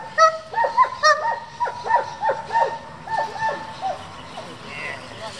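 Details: German Shepherds from a working group kept for breeding and competition, giving a run of short, tonal, high-pitched barks and yelps in quick irregular succession, about one a second, with faint background noise.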